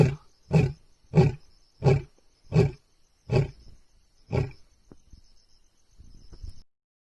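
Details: A lion, arriving in the dark of night, gives a series of deep, throaty grunting roars, each burst short and repeated under a second apart.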